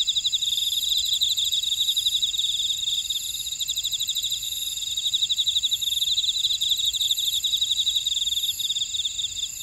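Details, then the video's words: Field insects of a Jeju Island buckwheat field in South Korea trill continuously, a thin high rapid pulsing layered with a higher strand that fades in and out in repeated bursts. "제주 메밀밭의 풀벌레 소리"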